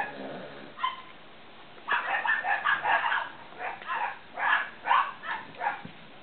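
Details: Cavalier King Charles Spaniel puppies of Danny and Daisy II: a few faint whimpers, then a burst of rapid high yips followed by spaced, louder squealing barks.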